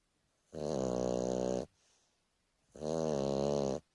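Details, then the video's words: A male Boston Terrier snores in long, rattling, low-pitched breaths about two seconds apart during a lazy afternoon. "Boston Terrier snoring for a minute"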